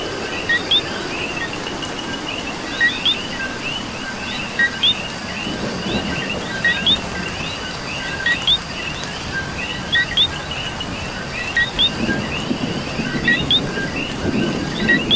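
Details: Coqui frogs calling in the rain in Puerto Rico: a dense chorus of short two-note chirps, each a low note jumping to a higher whistle, overlapping steadily throughout, over a constant hiss of rainfall and a faint low rumble.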